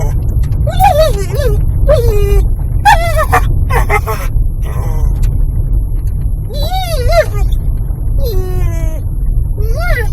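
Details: Eddie, a dog riding in a car as it drives up the driveway of his owner's parents, something he does every time, though quiet on the road: bursts of high, wavering, rising-and-falling whines and yelps over a steady low engine rumble.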